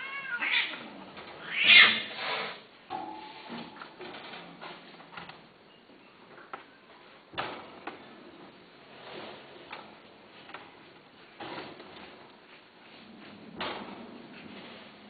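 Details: Several domestic cats meowing, with a loud, strained meow near 2 seconds followed by shorter meows at about 7.5, 11.5 and 13.5 seconds, separated by soft rustling and quiet background noise.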